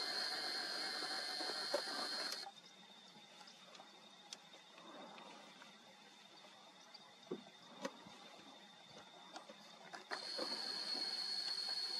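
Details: Rushing, water-like hiss at the start and end, with a quieter stretch of scattered clicks and taps between, and no clear animal call.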